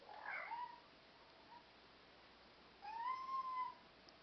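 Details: Indoors, black European Shorthair cats give two meows: a short one at the start, then after a pause a longer drawn-out meow that rises and slowly falls. Quiet background hiss.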